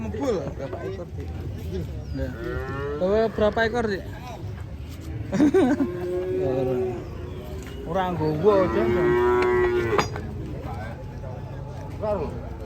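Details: Cattle worked up while coming off a truck: several short, wavering moos break out irregularly, ending in a longer steady bellow, with a low background rumble and faint voices.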